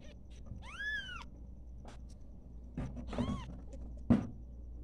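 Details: Newborn domestic kittens at play give high, arching mews that rise and fall, one long cry near the start and shorter ones later, over a low steady hum and faint background voices.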